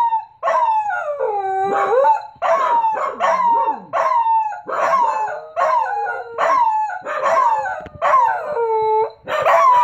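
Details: Pembroke Welsh Corgis Ein and Jet howling indoors after a leaf hit the window; a steady run of howls about a second each, each starting high then sliding down and wavering, repeated with short breaks.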